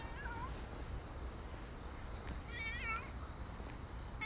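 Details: Nero, a stray cat, gives a short falling meow, then a wavering, slightly rising meow a couple of seconds later, over steady low traffic rumble.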